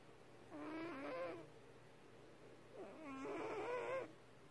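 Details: A domestic cat asleep and snoring: two drawn-out, softly wavering tonal snores about a second long each, separated by a quiet pause of roughly one and a half seconds, in an otherwise still room.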